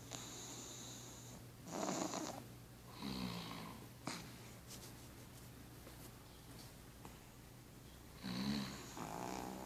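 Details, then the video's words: A sleeping pug lies with its owner in a quiet room, giving rough, nasal snores in separate bursts with wheezy whistling overtones. The breathing in between is soft and irregular. "Pug roncando com o dono"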